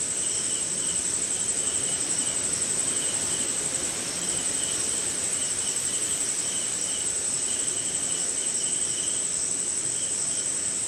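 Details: Crickets and other insects on a rainy night somewhere in India: a steady shrill, finely pulsed trill high up, with a lower pulsing chirp band that rises and fades in short bursts over soft, constant rain hiss.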